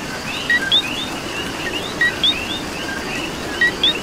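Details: Puerto Rican coqui calling in the rain, a crisp paired 'co-qui' with the second note sweeping upward, given about three times in four seconds against a background chorus of many more frogs.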